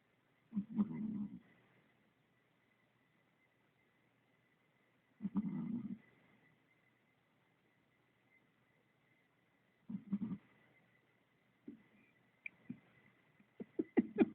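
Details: A sleeping Chihuahua snores. Low, rasping snores come about every five seconds, followed by quicker, shorter snorts near the end. A faint steady tone hums underneath throughout.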